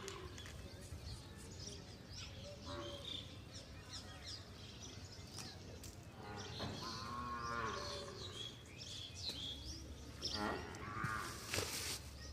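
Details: Indigenous desi cow during cleaning, lowing in short, tonal moos midway and again toward the end, amid a steady noisy background, scattered knocks and a brief hiss.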